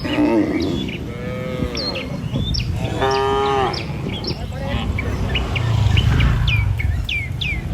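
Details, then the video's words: Tame cattle herded across a river bridge toward a village in the morning, heading to fields to feed; several harmonic moos, one long and wavering, over footstep shuffles and frequent high bird chirps. "Gembala Puluhan Ternak Sapi Melintasi jembatan Sungai, Suara Moou Sepanjang Jalan Menuju Desa"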